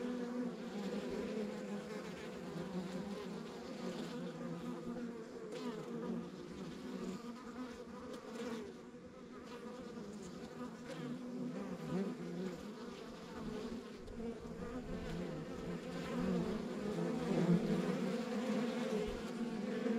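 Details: Honey bees at a rural backyard beehive, a dense continuous hum of many wings with a steady low drone and bright overtone bands, loudness swelling and easing gently over twenty seconds, no other sounds standing out.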